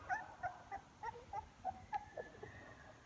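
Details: Young puppies, now walking more, opening their eyes and moving toward their mother, give soft, high whimpering squeaks, about three per second in an irregular series, with faint background hum.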